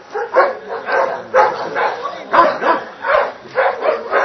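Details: Dobermann Grey John iz Doliny Dalmenov during Schutzhund protection training and a Hungarian breeding test: loud, harsh barks in rapid bursts about every half second, with some voices mixed in.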